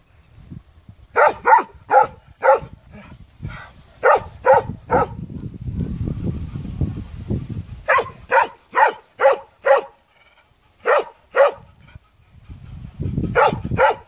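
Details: Barking dog, its sharp barks coming in rapid clusters of three to five, separated by gaps filled with low rumbling noise.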